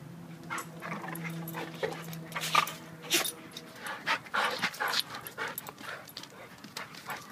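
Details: Duke, a 7-year-old blue/red pitbull, wrestles in play with Lucy, a 7-month-old German Shepherd; a steady low whine opens, then comes a dense run of rough growls, yips and scuffling.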